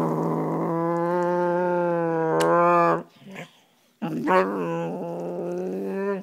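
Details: A five-year-old male Soft Coated Wheaten Terrier growls playfully at his owner, not in anger, giving long, drawn-out grumbling growls with a moaning, voice-like tone; he wags and follows when the owner walks away.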